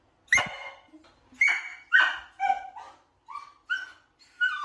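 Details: Dog barking for sound-habituation training, in the middle stage where whining gradually turns to barking; sharp barks with whiny, pitched tails repeat roughly twice a second.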